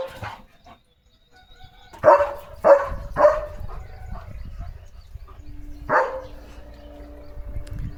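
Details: German Shepherd dog giving a quick run of three sharp barks about half a second apart, then a single later bark, with a steady low hum and faint background noise.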